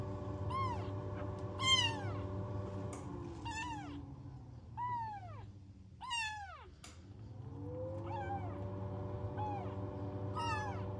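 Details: Rescued newborn kittens with no mother, in a warming box indoors. They meow insistently, with shrill arched cries coming roughly every second, some overlapping, over a droning low hum that dips and rises.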